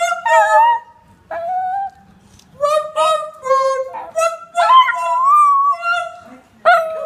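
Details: Diva, a three-year-old female Chinese Crested Powderpuff dog on the Gold Coast, Australia, howls in the morning. Her long, wavering, tonal howls rise and fall in a series of drawn-out bursts separated by brief pauses.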